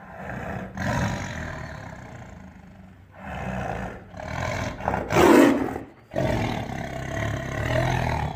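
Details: An angry, attacking tiger lets out a series of harsh, throaty roars in separate bursts, loudest in a sharp peak just past the midpoint, with ragged growling between the outbursts.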